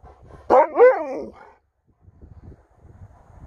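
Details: Pet Alaskan Malamute answering its owner indoors with one drawn-out, wavering 'woo-oo' talking howl under a second long that rises then falls, followed by faint shuffling and quiet room noise.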